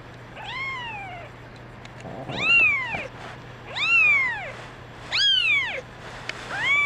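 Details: Kittens crying, including a brown mackerel tabby female; loud, bright arched meows, rising then dropping, repeated roughly every one and a half seconds with faint rustling between.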